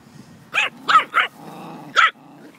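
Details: Chihuahua playing with a puppy: three sharp, high yappy barks in quick succession, a pause filled with low rumbling growls, then a fourth yap.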